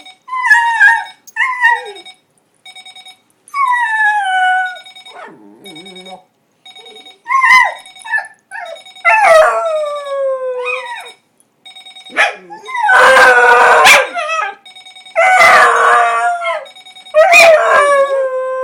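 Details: Dog named Charlie howling against an alarm clock left on, with Porter, a Scottish wiener dog, also appearing; broken wavering howls and yelps alternate with electronic ringing, ending in loud harsh overlapping howls.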